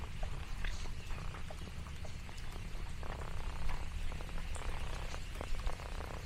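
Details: Orange tabby Lexi purrs while out on the farm: an even, low vibrating rumble holds steady, with sparse clicks and a few faint higher chirps or pops above it.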